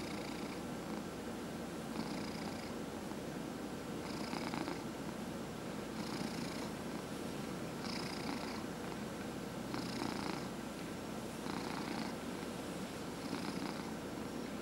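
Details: Domestic cat purring steadily while being massaged indoors, a continuous low rumbling throb throughout, with soft rhythmic rubbing strokes of the massage heard about every one and a half seconds.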